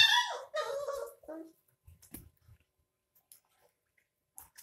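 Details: Puppies 22 days old, drinking milk from a bottle, give a high, whining squeal with rich overtones that slides downward, then a second, lower whine that falls away over about a second and a half, followed by faint soft shuffling noises.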